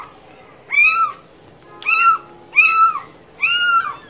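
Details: Four evenly spaced meows from a cat, each a rising-then-falling wail lasting about half a second, with a faint steady tone and low hiss underneath.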